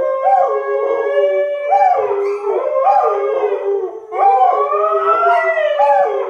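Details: Siberian husky Sky howling in a trio with springer spaniels Marshall and Sadie, provoked by a spaniel's pestering. Loud, steady howls rise and dip in a repeated yodelling wobble, several voices layered, with a short dip near the middle.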